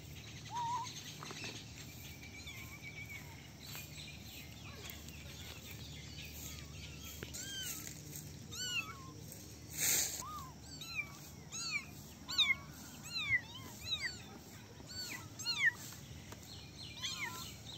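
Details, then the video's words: Several little kittens in a basket meowing while playing; high, arched mews come thick and fast in the second half, overlapping one another, over a faint steady background hiss. "Basket of cute little kittens meowing and playing"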